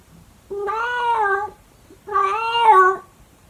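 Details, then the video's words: Two long, loud meows from Monkey, a calico cat, in the early morning, each about a second long, steady then falling slightly at the end, with rich harmonics; the second call rises in strength before fading. "CAT SINGING in the early morning"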